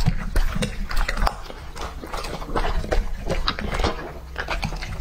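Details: Lucky the English-type Labrador Retriever, two and a half years old, chews raw meat; sharp crunchy bites and moist mastication come in bursts, with bassy knocks from the bowl.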